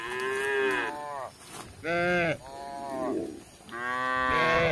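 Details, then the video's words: Friendly village cattle wandering about looking for grass give a run of four moos, each roughly a second long, some arching slightly in pitch, with short pauses between calls. "Sapi Lembu lucu yang jinak di Kampung Berkeliaran mencari rumput"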